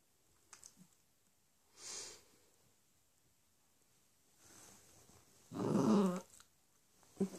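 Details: Bentley, a four-month-old Cavalier King Charles Spaniel puppy indoors, grumbles in a bad temper because he wants bedtime on the human rather than in his dog bed. Quiet start, a short breathy burst, then a louder low rasping growl near the end.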